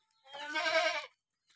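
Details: Sick Boer cross goat with a runny nose, a farm animal that later died before slaughter, giving one loud, harmonic, slightly wavering bleat of under a second in an otherwise quiet setting.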